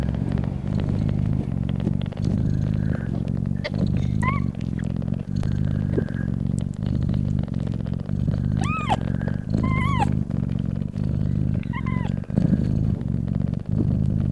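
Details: Loud, continuous low purring from a mother cat breastfeeding her newborn kittens, throbbing evenly throughout, overlaid by several short high-pitched kitten mews, some rising and falling in pairs.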